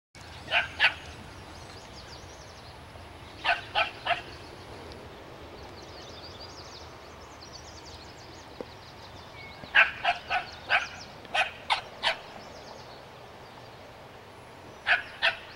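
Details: Dog barking at a skunk outdoors, sharp barks in clusters of two or three separated by long quiet gaps, with faint high chirping in the background.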